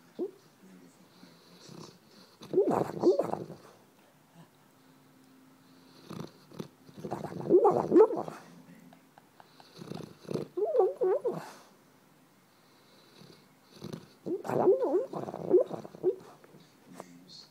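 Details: Sleeping dogo puppy clucking like a chicken: four bursts of soft, rapid, muffled clucks, each lasting one to two seconds and coming every four seconds or so, with quiet in between.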